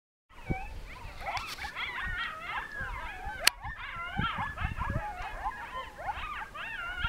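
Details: A pack of coyotes howls together in a wavering chorus of yips and rising, falling wails, in the mountains of northern New Mexico one evening as a monsoon storm starts to roll in.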